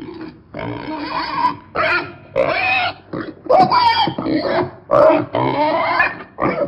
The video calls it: PIG SOUND - PIG SOUND EFFECT - NOISE OF PIG - animal sound